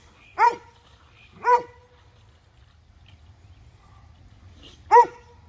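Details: Dogs, a Bull Terrier mix and Airedales, in rough wrestling play with a detergent bottle on a rope; three sharp, loud barks at about one, two and five seconds, with a quiet gap between, over faint low background rumble.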